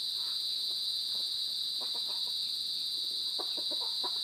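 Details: Crickets give a steady, high, shrill ringing trill with a pulsing buzzy edge, recorded on 23 January 2021 in the afternoon, around 2:31 PM; soft, low clucks, likely from fowl, come in bursts beneath.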